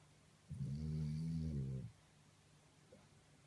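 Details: A French Bulldog fast asleep gives one long, loud, deep, rumbling snore lasting over a second.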